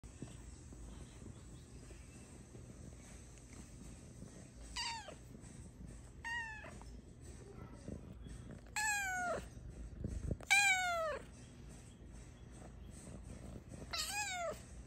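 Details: Luna, a very talkative pet cat who is never shy about expressing her thoughts and feelings, gives five clear descending meows spread over the recording, some bending upward at the start, with a quiet background hiss between them.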